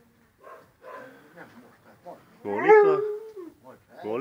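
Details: Husky dog giving a drawn-out, wavering whine that rises and then slides down, preceded by a quiet person talking and followed by a short rising cry.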